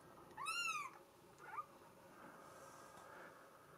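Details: Solid mink Bengal kitten, female, giving one clear high arched meow followed by a fainter short squeak, against steady background hiss.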